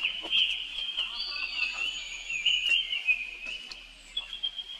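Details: Baby monkey, the young brother of Rainbow, calls out for help while she runs away quickly. One long, high, wavering whine is held almost without a break, with a few faint clicks behind it.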